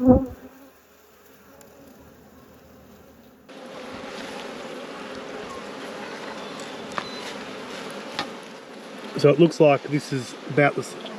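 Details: Honey bees at an apiary during a hive inspection. Near-quiet opening, then a sudden steady, droning hum of many bees with a low fundamental and overtones. Sharper crackling and knocking sounds come near the end.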